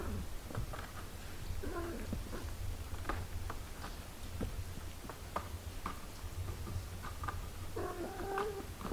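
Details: Mother cat with her six-day-old kittens: a brief mew near the start and a longer, slightly wavering mew at the end, separated by soft tapping, rustling and a constant low hum.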